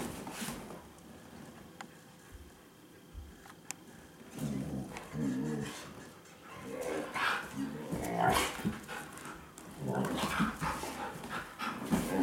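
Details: Two pet Siberian Huskies, a chocolate-and-white male born 2010 in Saitama and a red-and-white female born 2013 in Shiga, Japan, clamor excitedly before a walk: bursts of harmonic howling, whining yelps in loose repeated waves, with a few spoken words indoors.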